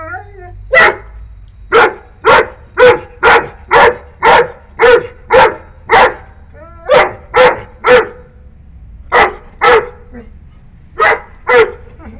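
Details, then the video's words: Nine-month-old Saint Bernard puppy barking in a raging temper at a cat near its boundary; a long series of loud, heavy barks, some doubled, coming nearly twice a second with brief pauses between bursts. "ANGRY DOG BARKING SOUND ll TOO LOUD ll St. Puppy throws raging temper on spotting a Cat"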